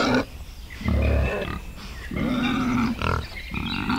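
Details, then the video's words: Wild boar in a forest with piglets: drawn-out, nasal, tonal grunts, each lasting up to a second, run almost without a break in a low, humming series. "wild bore | pig | piglet"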